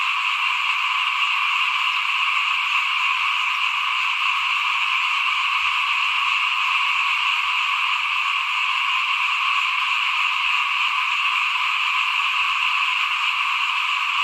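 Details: Rice sowing season, 2021: frogs chorusing in front of a house, many voices merging into an even, sustained high trill that fills the whole recording, with almost no other sound beneath.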